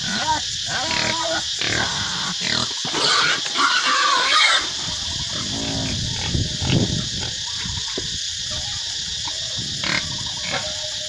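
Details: Wild boar raised at home in a natural way in Cambodia give rough grunts and a few sharper squeals in irregular bursts, over a constant high-pitched hiss, likely insects or background noise.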